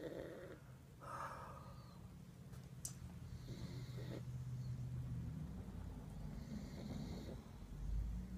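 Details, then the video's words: Lucy, a pug dog who can't stay awake, snoring as she drifts off to sleep; low, rumbling breaths form a steady droning band throughout, broken by a few faint higher squeaks and clicks. "Lucy the Pug Dog Can't Stay Awake!"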